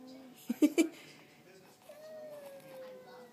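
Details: Street cats arguing in front of a house: a few sharp knocking sounds early on, then one long, steady, slightly falling yowl held for over a second amid faint background noise.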